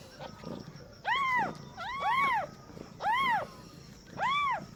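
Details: Kittens newly delivered by a cat giving birth for the first time cry out in four bright, arching mews roughly once a second, with a second voice overlapping the second call over soft background rustle.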